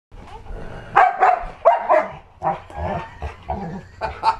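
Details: A pit bull-husky mix dog named Dojo guards a newborn baby indoors against pretend attacks, giving a string of sharp, ragged barks in short bursts, some doubled, with quieter pauses between.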